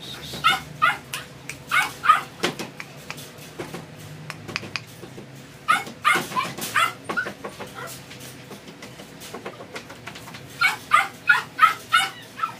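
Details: Male Doberman puppy for sale in a pet shop, giving bursts of high, sharp yips and barks, several per second in clusters, with pauses between bursts and faint background noise.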